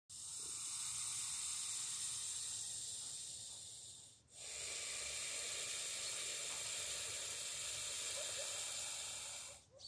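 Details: A grumpy snake met one morning while walking the dog gives a long, steady, breathy hiss, bright and airy, broken only by two short pauses near four and ten seconds, like drawn breaths.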